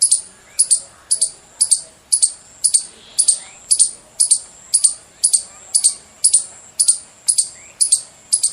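A squirrel calls with piercing, high chirps, each a brief sharp note with a slight trailing edge. The chirps come in a long, fairly even run of about two per second, with faint background hum beneath.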